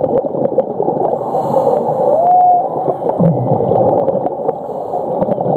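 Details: Whale recorded underwater at Ningaloo Reef, Western Australia: a brief upward-curving tonal note lasting about half a second, then levelling off, heard over heavy rushing and crackling sea noise with frequent clicks and a low rumble.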